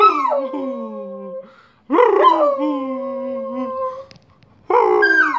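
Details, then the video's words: Pet dog singing while fetching the post at home: long, loud howls with strong harmonics, each held about one and a half seconds and sliding gently downward, three bouts separated by short silences. "My dog bosco getting post and singing"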